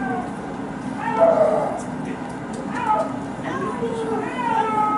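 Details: Twin Amur leopard cubs, 238 days old, recorded at a zoo in April 2018, give short mewing calls that rise and fall, a few seconds apart.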